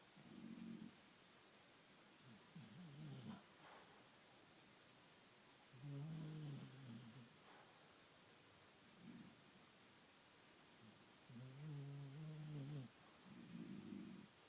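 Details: Bull Terrier asleep and apparently dreaming, snoring in deep, rough, buzzy bouts roughly every three seconds, some long and droning with layered tones, separated by short quiet gaps indoors.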